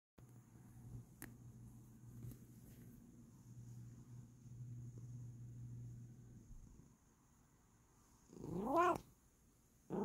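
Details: Bengal cat purring softly indoors: a low steady rumble for about seven seconds, a brief pause, then a short rising meow near the end followed by the start of a person speaking.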